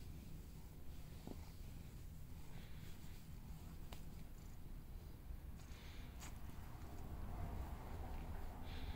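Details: Happy house cat purring, a continuous low rumbling pulse that swells slightly toward the end, with small clicks and soft rustling nearby.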